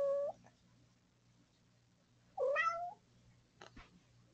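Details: Hungry pet cat meowing at breakfast time indoors: a short meow, then after a pause a longer rising-then-falling meow, followed by a faint brief chirp, with a low steady hum in the background.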